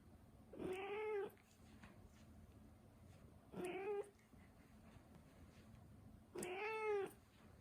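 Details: Turkish Angora cat meowing three times, each call a drawn-out, slightly rising nasal meow with rich harmonics, spaced a few seconds apart in a quiet room.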